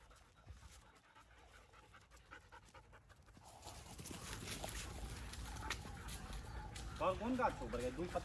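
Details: Black double-coated German Shepherd panting: a quiet start with people talking, then the breathy huffs grow louder and steadier, with brief high whimpering tones near the end as voices continue.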